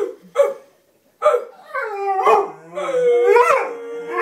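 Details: Female Bullmastiff greeting her owner with short yelps that turn into a long, wavering, rising-and-falling howl with a steady tone at the end.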